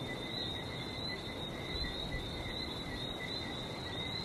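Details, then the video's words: Barbados frogs heard near the sea: many callers merging into a continuous high, slightly wavering double-pitched trill, backed by a steady rushing hiss of waves. "Relaxing sounds of #Barbados #frog #sea"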